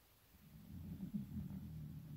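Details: Elderly 15-year-old Shiba Inu dog asleep in winter, snoring: one low, rough, droning breath that swells over about two seconds, steady and rumbling with no other clear sounds.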